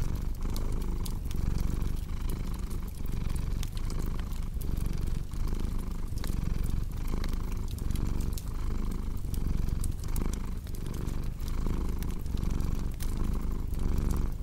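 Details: Domestic cat purring steadily, a low rumbling purr pulsing with each breath roughly every three-quarters of a second, layered over the snaps and pops of a crackling fireplace in a cozy indoor setting.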